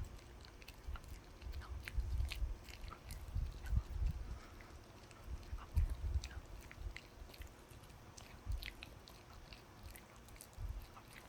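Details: A puppy eating a dog chew. Its teeth make frequent sharp clicks and crackly bites in uneven bursts, with soft low thuds beneath, in a quiet room.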